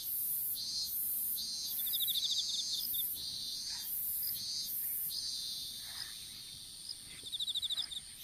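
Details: Insects in an open-air strawberry field at planting time, picked up by a dropped phone: steady cycles of shrill hissing bursts roughly every second, with brief rattling pulse trains around two seconds in and near the end.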